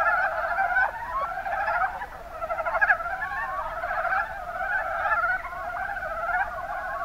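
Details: Mountain brown frogs from Kumamoto, Japan, in the Kuma Basin: repeated short pulsed croaks, roughly one a second, layered over a continuous background of other frogs croaking in the chorus.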